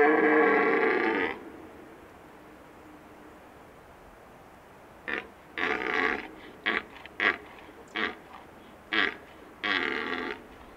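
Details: Big red deer stag with facial paralysis, the right side of his face hanging, probably from an injury in a fight with another stag; a drawn-out harmonic bellow of about a second opens, then a quiet pause, then a run of short rough grunting bursts.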